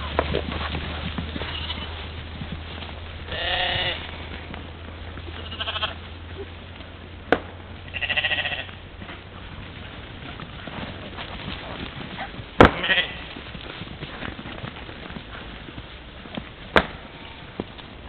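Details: Trail-camera recording of a European mouflon herd at play by a morning waterhole, Czempiń forestry district, Wielkopolska, Poland, 13 July 2018; a few short bleats amid rustling, clicks and a low hum that fades midway.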